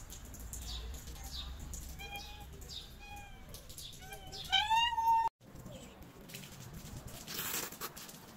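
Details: Stray cats in Morocco, hungry and waiting to be fed, give a few thin rising-falling meows, then one loud, drawn-out wavering meow that stops abruptly, followed by rustling and faint street noise.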